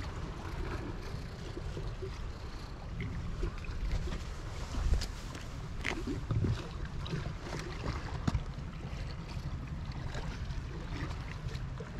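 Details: Heavy wind buffeting and low rumbling noise fill the recording, with occasional knocks and no animal voice.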